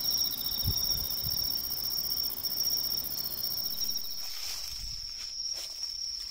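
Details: Tree cricket in autumn, in woodland along a major river. It sings a steady, unbroken high-pitched trill. Footsteps and rustling through vegetation are heard over it, fading later in the clip.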